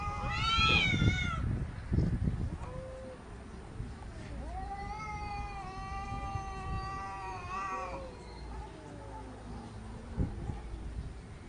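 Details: Quarrelling cats: a short sharp cry opens, then a long, steady, whining caterwaul holds for several seconds before fading into low growly murmurs and faint rustles.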